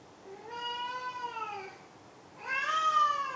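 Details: Pet cat Maru utters two meows: a long level one with a slight drop at the end, then a louder, brighter meow rising slightly, in a quiet indoor setting.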